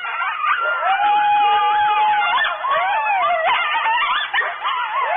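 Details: Several coyotes at Starr Ranch near the microphone in the middle of the night, about 2:30 am, July 2013, give a dense chorus of long bending howls mixed with rapid high yips, sustained without pause.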